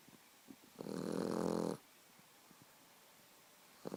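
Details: Sleeping Boxer puppy gives one loud, rough snore lasting about a second, followed by quiet breathing and faint small clicks in a small room.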